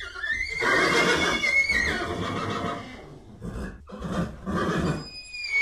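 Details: Horse whinnying: a long shrill neigh starting on a high whistled note and breaking into a shaky, descending rasp, followed by a shorter second burst.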